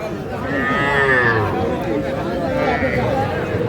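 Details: Calves at a Cumilla cattle market in Bangladesh give a long wavering moo, then a shorter second one, over a buzz of people haggling over prices.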